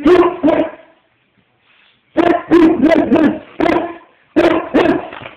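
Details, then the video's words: Bulldog protesting at being zerberted, with a Mastiff also objecting: a run of harsh, mid-pitched barks and yips in clustered bursts, with a pause of about a second between the first pair and the later volleys. "Bulldogs do not like Zerburts!"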